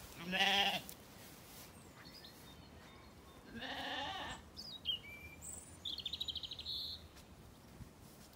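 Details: Weaned Zwartbles lambs grazing and relaxing in an orchard on a farm in County Kilkenny, Ireland, at evening: two strong harmonic bleats, the second softer and longer, followed by chirping and twittering birdsong.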